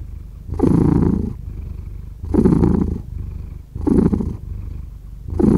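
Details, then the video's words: Cat purring in clear breath cycles: a loud rumbling burst on each exhale, then a softer, quieter inhale, repeating about every one and a half seconds. "5 Hours of Cat Purring"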